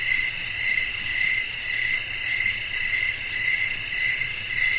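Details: Night-time cricket song. A shrill, continuous pulsing trill beats in a regular rhythm of roughly two pulses per second, with bright overtones above it and no other clear sounds.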